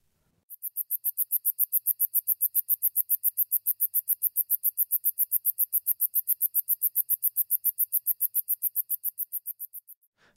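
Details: A sword-bearing conehead, a common Illinois/Midwest katydid, sings a long, steady series of loud, quick, high, lisping rasps, about three or four each second.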